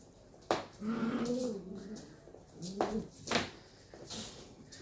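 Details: Two 11-week-old Shetland Sheepdog puppies in rough play indoors: low, tonal growling grumbles that rise and fall, broken by sharp knocks and scuffles, in two bursts a couple of seconds apart.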